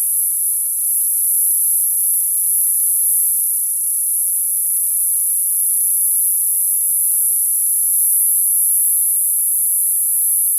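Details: Cicadas in summer fill the air with one steady, piercing high buzz, an unbroken sheet of sound with no pauses or changes in pitch throughout.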